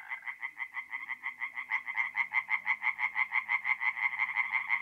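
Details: Forest pond at night in mid-April, north-east Italy, with tree frogs in full song: quick, regular, loud croaks about three per second forming an insistent rhythmic rattle, a faint low hum underneath.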